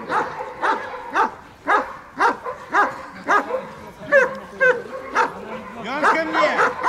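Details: German Shepherd in bodyguard and protection training in Odessa, Ukraine, alongside Malinois: sharp, harmonic barks repeated roughly twice a second in a steady run, with a few higher yelping notes near the end.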